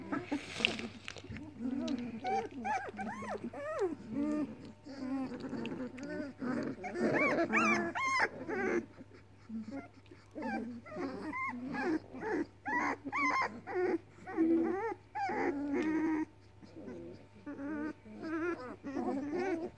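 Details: Seven hungry Weimaraner puppies, four female and three male, whimper and moan in overlapping, wavering cries with occasional growls or yaps because their mother won't feed them.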